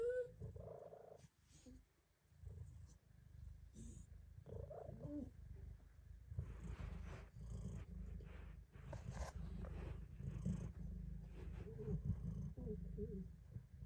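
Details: A female cat purrs while getting belly rubs in her favourite hiding spot. The purr is a steady, low continuous rumble throughout, with occasional rustling and brief faint voices over it.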